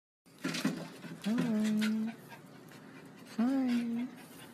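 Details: Two pet poodles indoors: after a few short snuffly sounds, a dog gives two drawn-out, nasal whines, each about a second long, with a pause between them. A person says hello afterward.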